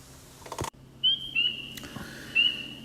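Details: A single spring peeper (Pseudacris crucifer) at Dragonfly Pond in Tenhave Woods, Royal Oak, gives its breeding call: high, clear, slightly rising peeps at intervals of about a second.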